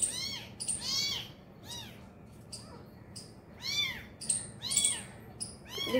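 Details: Abandoned kitten with its injured mother at feeding time, giving high, arching mews in irregular bursts, some fainter, separated by short pauses, with soft background noise.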